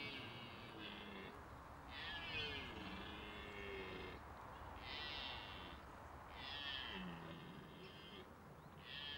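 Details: Rutting red deer in the autumn mating season, stags competing for the attention of hinds: a series of rough, drawn-out bellows in four or five bouts, separated by brief pauses, over a steady background hiss.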